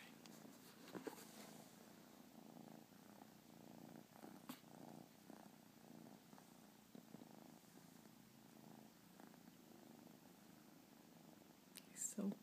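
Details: A newly adopted domestic cat, mellow and relaxed with its owner, purrs steadily, a low continuous rumbling vibration with a soft rhythmic pulse, recorded 29 July 2015.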